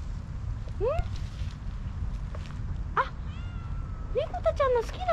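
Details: Stray kittens outdoors, a cream tabby male and a slightly older female, calling to each other: a few thin, high meows, one rising then falling, with a cluster of quick mews near the end over low background rumble.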